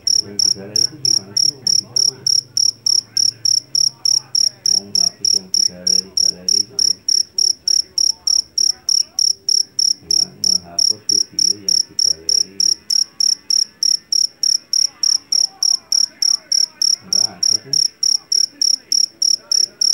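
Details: A long run of piercing chirps from a jangkrik jeliteng field cricket caught in a Javanese rice paddy. The high pulses repeat steadily about three times a second throughout, with soft low background murmur.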